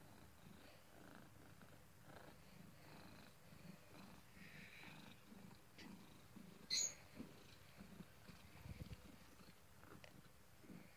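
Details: Cat asleep and snoring with a continuous low, rhythmic rumbling breath that pulses steadily throughout, plus one brief sharp click partway through.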